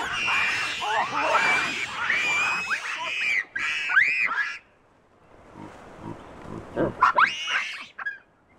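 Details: Chacma baboons from a wild, habituated troop in the Soutpansberg mountains, South Africa, screaming sharply at a rock python holding a juvenile: dense overlapping harsh, rising-falling screams for four seconds, a short quiet gap, then more screams.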